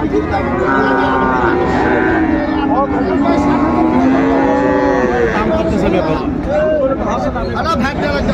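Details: Friesian bull calf of about six months for sale at Raniganj cattle market, Dinajpur, Bangladesh, 2 January 2025; long, wavering lowing calls from several cattle layer together while traders talk and haggle nearby.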